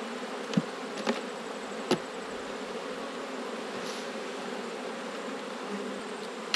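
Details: Autumn honey bee colony at an open hive during inspection, swarming season with a new queen made: an even, continuous buzzing drone throughout, punctuated by a few brief taps from handling.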